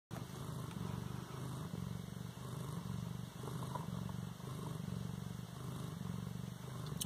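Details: An 18-day-old Siamese kitten in Bas-Saint-Laurent purrs steadily, a deep, continuous rumble pulsing with each breath.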